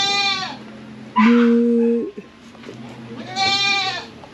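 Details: Domestic goats kept on a small farm, with young kids among them: two wavering, harmonic bleats open and close the clip, separated by a steady flat hum, over low background noise.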